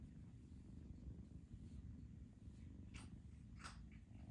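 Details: Foster kittens being socialized indoors give a steady low, rumbling purr throughout, with a couple of faint brief rustles near the end.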